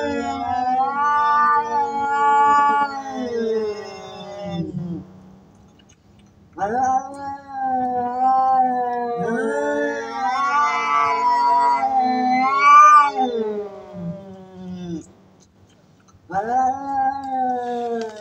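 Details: Domestic cats biting and fighting, threatening loudly: long wavering yowls rich in harmonics rise and fall in pitch, coming in three drawn-out bouts split by short quiet gaps.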